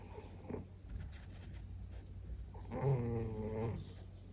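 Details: Bengal cat asleep and apparently dreaming at home, paws and ears twitching, gives a soft, low, moaning murmur lasting under a second, preceded by quiet rustling and breathing.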